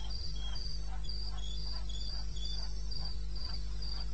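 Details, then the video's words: Two crickets trading shrill chirps, about two each second, one higher and one lower, in eastern Botswana's wilderness at 02:30 AM on 21 May 2016, over a constant low-frequency drone. "1 Hour cricket sound-Africa-No loop-Real recording."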